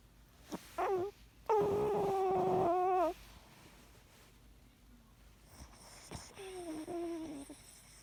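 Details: Sleeping Yorkshire Terrier in a small room giving a puppy-like whimpering snore: short squeaky whines, then a long wavering nasal whine, and after a quiet pause a softer drawn whimper.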